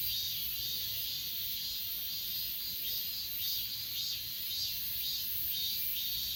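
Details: Achasan mountain grass insects, recorded on an S20 Ultra phone, form a thick high-pitched buzzing chorus overlaid with rhythmic pulsed chirps roughly twice a second; faint low rumble underneath.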